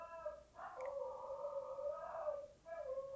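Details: Siberian Husky howling in the background indoors during a live session: one sustained, even-pitched howl of about two seconds with slight wavering, set against quiet room noise.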